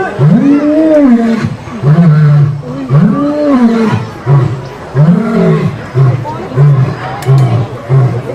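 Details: A lion roars with long, deep moaning calls, then shorter grunts repeated about every second, making a watching audience laugh before it goes to sleep.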